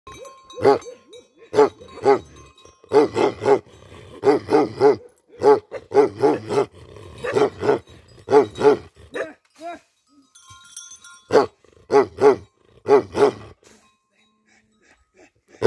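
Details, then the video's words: A Tibetan Mastiff livestock guardian dog in Nepal barks in deep, booming barks. They come in quick runs of two to four, with short pauses between runs and a longer gap near the end. "Livestock Guatdian Dog || Tibetan Mastiff In Nepal"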